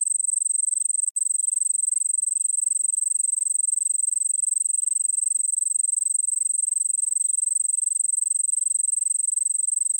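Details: High, continuous cricket trill recorded in India's Nilgiris, rapid regular pulses at a constant pitch, momentarily cut by a short click just after one second, otherwise uniform.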